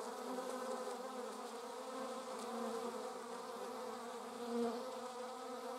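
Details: Steady, slightly undulating buzz from German wasps moving prey, several humming tones layered together, with a brief louder swell near the end.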